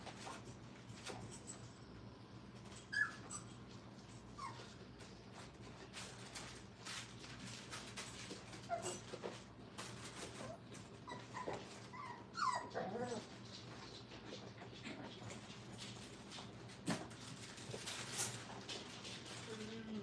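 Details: Five-week-old Brittany puppies in a kennel during crate training give faint, scattered whimpers and short high whines over a quiet room hum, with soft rustling between them.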